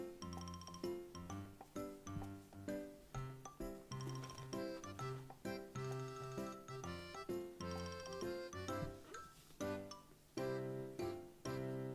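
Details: Bright children's-style music with chiming, tinkling bell tones and a steady bass line plays throughout, with no animal voice audible.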